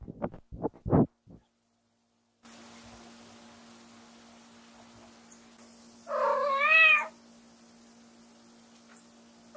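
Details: Lamu, a white short-legged female Munchkin cat indoors, gives one loud rising-falling meow with a rich harmonic stack while trying to call her owner back into the room, after a few knocking sounds and a steady low hum.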